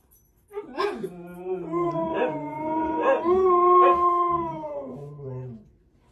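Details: Husky howling: a long, sustained wavering howl that begins with a few short yelps, swells in pitch and loudness, then fades over about five seconds, with music faintly behind.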